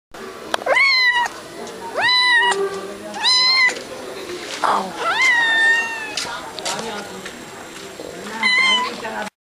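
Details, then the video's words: A nervous cat found during Durga Puja in Kolkata, India, meowing repeatedly: loud, drawn-out rising then level meows roughly every one to two seconds, with crowd chatter and festival noise in the background. "The Nervous Cat"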